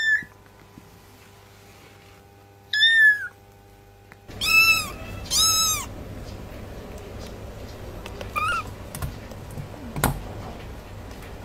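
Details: Kitten meowing in a few short, high arched calls, two close together around mid-clip and a fainter one later, separated by quiet stretches over a steady low background hum.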